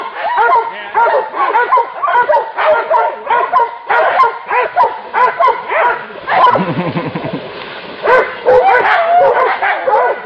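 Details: Hunting dogs cornering a wild boar keep up a relentless round of yapping barks and yelps. Around the middle a deeper, rougher sound mixes in before the high barking resumes.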